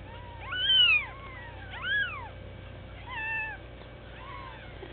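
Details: Week-old bald Sphynx kittens crying with shrill, squeaky mews that sweep up then down, three or four calls within a few seconds, the first loudest, against a constant electrical hum.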